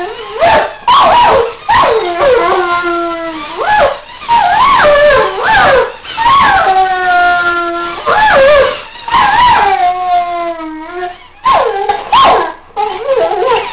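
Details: Archie the Weimaraner howling against his squeaky toys; drawn-out falling and rising howls with clear ringing tones alternate with yips and sharp squeaks across the clip.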